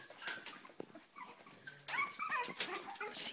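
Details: Cavalier King Charles Spaniels eager to eat, excited before feeding, give a few faint whines and then louder wavering high whimpers in the second half, with a woman talking and shuffling noises.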